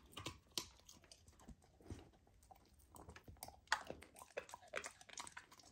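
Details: Golden retriever puppy eating raw lamb for the first time, on a raw diet: wet crunchy chewing and biting, irregular clicks and squelches close up, quiet room.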